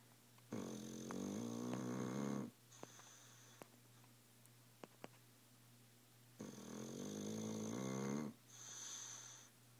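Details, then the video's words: Sleeping dog snoring very loudly indoors, two long rough snores about six seconds apart, each a buzzy harmonic drone near two seconds long, with a short breath after each and quiet pauses between. "Tilly snores like a freight train"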